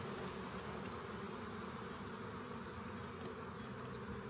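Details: Swarm of honey bees found by a rain gauge and collected; dense, steady droning hum fills the whole recording without a break, broad and even across low and high pitches.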